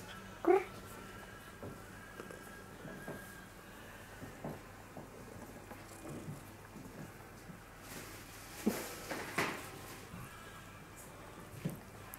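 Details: Wang, a curious and cuddly tortoiseshell tabby female cat in a rehoming shelter, gives one short, loud, rising meow near the start. Soft indoor thumps and rustling follow in a quiet small room.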